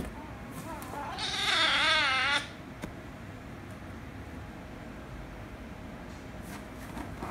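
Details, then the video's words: Rescue kitten angry at a ginger kitten: one loud drawn-out meow, shaky and wavering, lasting about a second, followed by quiet room hum and faint taps. "Ginger Kitten Made The Rescue Kitten Angry, But Kiss & Lick Kitten At The End - Cats Meowing"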